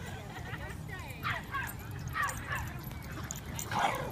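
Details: Basenjis, Ginger Snap and her friends, playing at a dog park in January 2014; short bright yelping yips sound in a quick burst of three or four, with low ambient rumble underneath.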